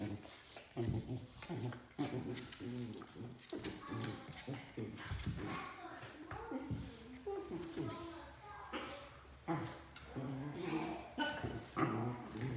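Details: A 3-month-old Pembroke Welsh Corgi puppy gives yips, whines and growly grumbles while play-fighting with an older Corgi, with human voices mixed in.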